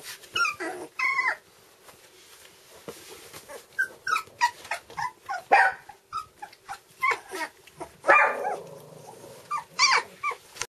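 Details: Scattered soft whimpers and short yips come from two-week-old red standard poodle puppies in Nellie's litter. Brief thin cries arrive in loose clusters, and a longer, grumbling whine rises near the end.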